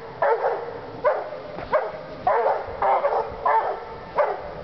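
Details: Two Walker hounds treeing, baying hard in a run of loud, ringing bawls roughly every half second to second, each a rough mid-pitched howl-bark with a short tail, six or seven calls in quick succession.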